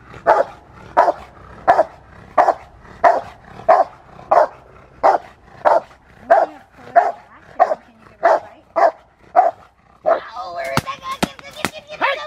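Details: Barking of the Rottweiler Fire v LordsNLadies in schutzhund (IGP) protection work, a run of forceful, evenly spaced barks roughly every 0.6 seconds, ending with sharp cracking knocks and a clatter of mixed sounds.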